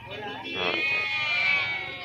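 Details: Goats being unloaded at a livestock market in Pebbair, Telangana, India; a wavering, nasal bleat quivers through the middle of the clip, set against a crowd of human voices and market bustle.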